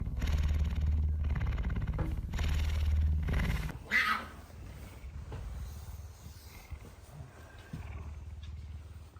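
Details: Loud, deep purr of a hungry pet male puma in the morning, headbutting its owner and insistently asking for food; steady low rumbling pulses, strong for about four seconds then softer, with a brief rustle midway.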